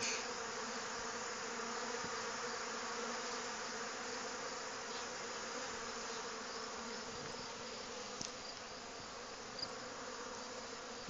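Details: Robbing honey bees crowding around hive supers during a nectar dearth; a constant, hazy buzz of many insects over eleven seconds, with occasional faint knocks.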